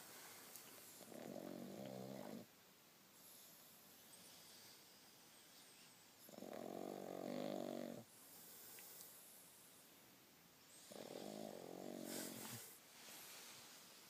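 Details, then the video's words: Snoring from a six-month-old pug sleeping under the duvet in bed: three rough, buzzing inhalations spaced about four to five seconds apart, quiet room between. "Snoring Pug In Bed"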